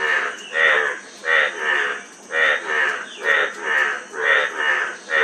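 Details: Loud, drawn-out frog croaks roughly once a second, each a buzzy harmonic burst, with faint insects humming behind.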